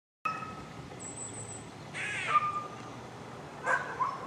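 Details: Eastern gray squirrel (Sciurus carolinensis) up on a powerline gives harsh, raspy barks, short bursts spaced a second or two apart, in a barking exchange with a dog.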